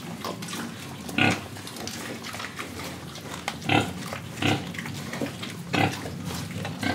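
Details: Pig from Indonesia grunting repeatedly, short clipped oinks roughly every one to two seconds, with soft snuffling between them.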